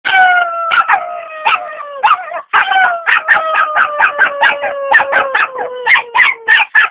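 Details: Four-month-old Jack Russell Terrier howling along with a woman singing: a long wavering howl that slowly falls in pitch, broken by rapid short yips and squeaks repeated several times per second, the notes sliding downward toward the end.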